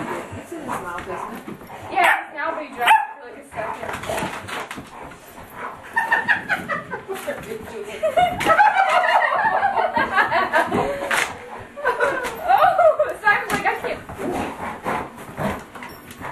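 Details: Domestic dogs at play, a Sheltie puppy a few months old with a yellow Labrador, giving bursts of harsh barks and growly yaps in uneven runs, with a person talking and laughing over the rough-and-tumble.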